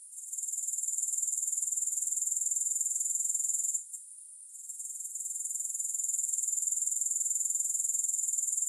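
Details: Grasshoppers heard without music: a steady, very high shimmering buzz pulsing about four times a second, breaking off for under a second near the four-second mark before building back to full strength.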